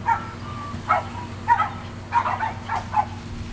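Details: Yard play among 7.5-week-old Sheltie puppies, adult shelties and Sheltie-Cocker Spaniel crosses, recorded 22 May 2012; rapid bright yelps roughly every half second, some doubled, with a thin drawn-out whine early on.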